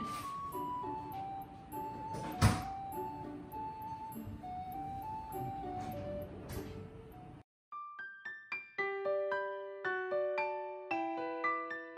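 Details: Only music is heard, sustained tones over a low hum with a single thud, then a run of clear piano notes.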